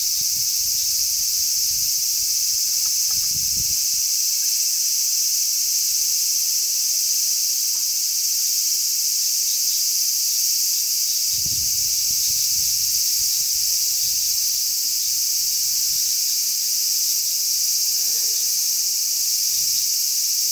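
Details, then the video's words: Many large brown cicadas chirping together on a zelkova tree on 3 August 2010, in a strong sea breeze. A steady, dense, high sizzling drone runs unbroken throughout, with low wind gusts rumbling through at intervals. "Large brown cicadas chirp."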